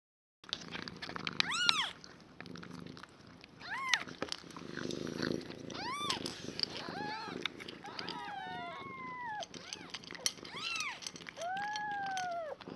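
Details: One-day-old newborn foster kittens, a litter of five with their mother Nala, give high, arched mewing cries in quick irregular bursts, some long and drawn out, with soft human voices and handling noise beneath.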